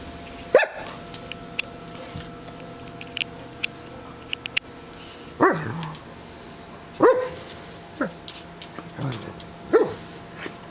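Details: Pet Doberman barking while playing with a bumblebee: five sharp single barks spaced about one to two seconds apart, with faint background rustling and clicks.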